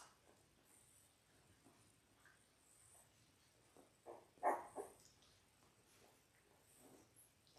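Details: Indoor puppy cam of six Labrador Retriever pups, ten days old, born January 18, 2022: quiet room with soft shuffling, then one clearer, brief whining squeak around the middle, followed by a couple of fainter whimpers.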